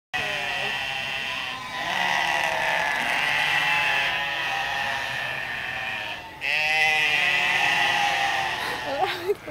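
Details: Several goats at a zoo in Rome bleat loudly and almost nonstop, their wavering calls overlapping, protesting that their food was late; the noise carried through the whole zoo.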